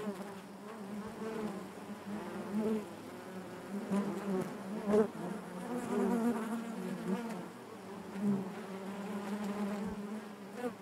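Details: Many honey bees buzz inside their hive, a continuous layered hum that swells and fades in waves, with a few brief knocks scattered through.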